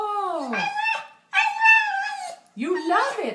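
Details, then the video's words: Charlie, a pet dog that 'talks' back about loving chicken, makes three yowling vocalizations indoors. The first slides downward, the second holds level, and the third wavers in a speech-like way. "Smart Talking Funny Dog Videos"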